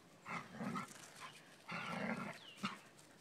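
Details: Playful squabble as a Dobermann puppy pesters Elke, an adult Dobermann sunning herself: two long, rasping growl-barks followed by a short sharp yelp, with a faint bird note near the end.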